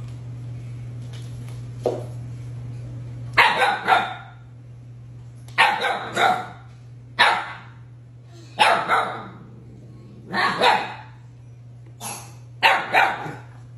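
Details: Siberian Husky arguing and talking back: seven short, throaty woo-barks spaced roughly every one and a half seconds, each a brief rough burst, with a low steady hum beneath.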